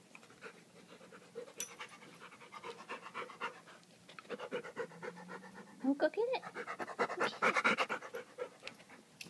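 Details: London the dog pants rapidly, about two breaths a second, while playing inside with a rock he fetched from the creek; a person's voice breaks in over the panting toward the end.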